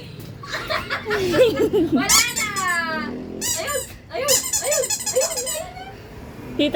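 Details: A Rottweiler puppy, just woken up yet already wanting to play, gives high, squeaky yips and whiny barks.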